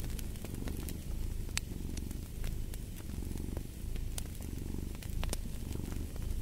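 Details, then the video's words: Domestic cat purring steadily, a deep low rumble swelling and easing with each breath, overlaid by sharp crackles and pops from a fireplace burning close by. "Purring of a Cat"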